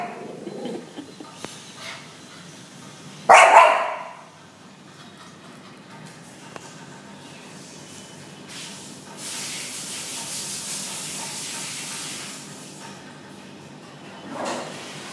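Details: A dog barks at four newly arrived hens, one loud, sharp bark with a couple of softer, muffled barks at the start and end and a stretch of steady hiss between.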